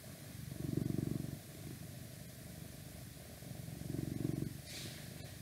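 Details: A pet cat purring in two clear swells of low buzzing rumble with quieter breaths between, plus a short soft rustle near the end.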